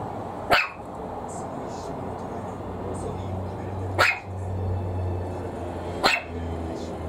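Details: A Maltese puppy, afraid of a plastic bottle being squeezed and popped at it, gives three sharp, high barks spaced a few seconds apart; it normally barks far less.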